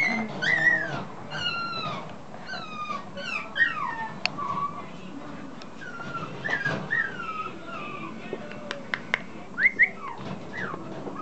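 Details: Whining from a male long-haired Chihuahua puppy, black-tan-and-white, born May 2014 at a Chiba breeder. Thin, falling whimpers come in loose runs with quiet gaps, and sharp clicks and taps are heard in the background.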